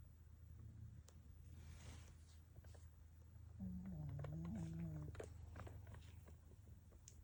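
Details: A sleeping female rescue Pekingese snores and breathes heavily, with a low rumbling, wavering snore in the middle.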